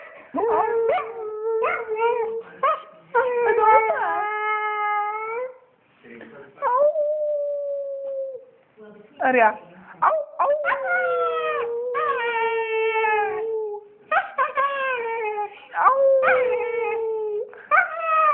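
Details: A female pet dog called Aria, who talks mostly when her owner howls, lets out quick broken yips and whines between longer level howls that dip and rise, with short pauses.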